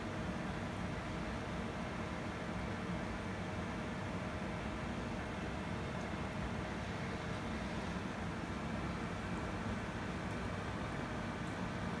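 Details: Steady broadband rumble and hiss like distant traffic or machinery fills the whole stretch, with no animal voices.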